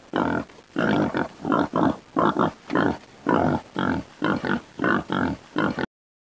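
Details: A newborn wild boar (Sus scrofa) piglet gives rapid, rough squealing grunts in short, repeated bursts.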